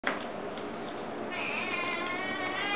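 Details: Indoor pet cat that meows more often than other cats; a long drawn meow with stacked harmonics, rising into a brighter tone halfway through, over steady background hiss.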